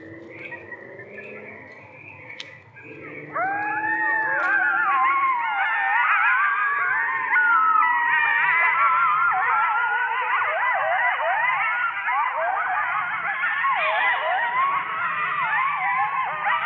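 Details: A pack of coyotes cackling late at night about 50 yards away, beside several hundred acres of open space, on 18 May 2024. After three quiet seconds, a sudden chorus of overlapping, wavering yips and quavering howls rises and falls without pause to the end.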